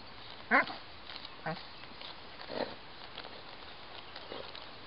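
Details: A Doberman named Xandro, searching for mice, gives a few short, harsh vocal bursts, the first loudest, spaced irregularly over a quiet background.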